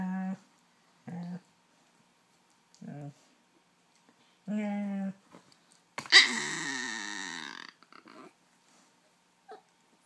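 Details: A female husky–German shepherd mix gives short, tonal, talking-style whines and yowls, then a harsher growling burst, while playing noisily with her ball.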